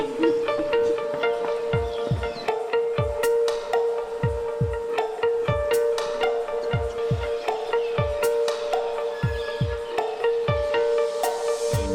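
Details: Background music with a sustained tone, plucked notes and low swooping pulses at a steady beat; no animal sound.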